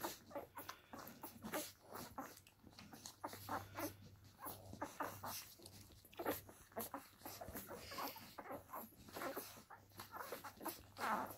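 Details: Akita puppies two weeks old making soft, short squeaks and whimpers amid constant rustling and shuffling, with irregular bursts of faint vocal sounds spread through the recording indoors.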